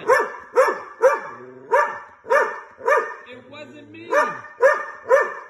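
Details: Angry dog giving a fast, fairly even series of loud, harsh barks about twice a second, with a brief pause midway filled by a low rumble or voice.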